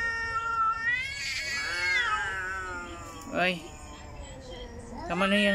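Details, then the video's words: Angry domestic cat, female, yowling at another cat indoors; long wavering drawn-out yowl with rich harmonics rising and falling, then short harsh bursts near the end, while a woman speaking Tagalog urges the cats to stop fighting. "MY ANGRY CAT she doesnt like the other cat😅"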